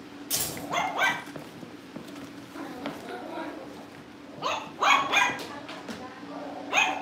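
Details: Cavalier King Charles Spaniel puppies at a home breeder's livestream, awaiting family pick-ups: sharp high yips and barks in scattered bursts, a pair early and a cluster of three near the end, over a steady low hum and faint voices.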